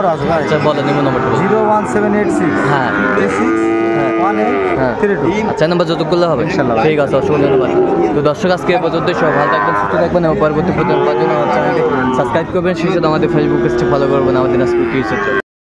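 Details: Sahiwal breed bull at the Ambari livestock market, Netrokona, Bangladesh, 8 November 2024. Several drawn-out lowing moos rise and fall at intervals amid a busy soundscape of chattering people and general market bustle.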